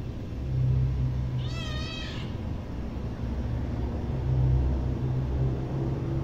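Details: Single wavering meow from a hungry kitten around the middle, set against a loud low rumble like traffic.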